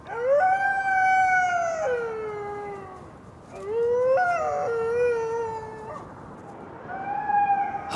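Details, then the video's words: Female grey wolf in France with six cubs, howling at night before winter to call other wolves for help; long steady howls that rise, hold and fall, three drawn-out calls with pauses, one breaking upward midway. "Đã đến lúc cô ấy phải lên tiếng cho những con sói khác."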